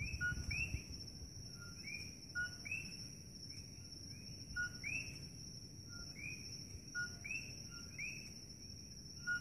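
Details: Nighttime chorus of coqui frogs in Kailua-Kona, Big Island, Hawaii: loud rising two-part chirps from several frogs overlapping every second or so, with a continuous high-pitched whine and low rumble behind.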